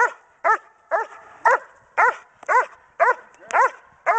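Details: German Shepherd Dog Kodiak, pregnant with ten puppies, performing Schutzhund bark and hold training in January 2010; loud, evenly spaced barks roughly twice a second, steady and insistent, nearly clean of other sound.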